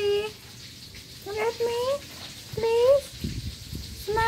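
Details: Cat meowing indoors: three short, rising, tonal mews spaced about a second apart, with faint background rustling and a hint of running water.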